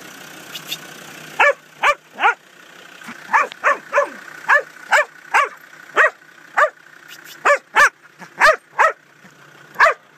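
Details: Huntaway dog working cattle through a gateway: loud, deep barks repeated in a steady series, roughly one every half second with brief pauses, over low vehicle hum.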